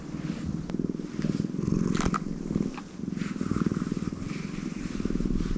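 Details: Tortoiseshell cat kept as a pet, purring steadily throughout: a low, even rumble of rapid fine pulses with slight swells in loudness, over a faint background hum.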